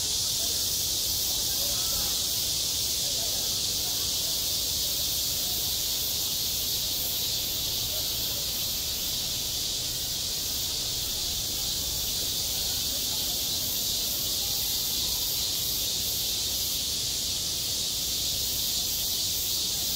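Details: Midsummer cicada chorus over a school playground, an intense, continuous shrill hiss-like buzz that stays level and even, subtly throbbing, with no other clear sounds.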